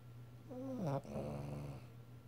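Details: Sleeping dog snoring loudly indoors: one drawn-out, throaty snore with a rasping, falling tone lasts just over a second, with a steady low hum behind it.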